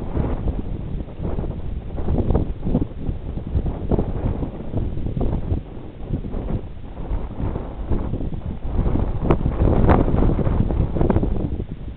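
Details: Strong wind buffets the microphone throughout, with low rumbling gusts and rustling, and no clear animal voice.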